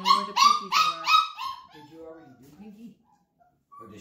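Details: Flat-Coated Retriever puppy, 34 days old, indoors during clicker training, whining and yelping in a rapid series of high, harmonic barks that fall in pitch and fade into softer whimpers while treats go to its littermates; a woman talks nearby.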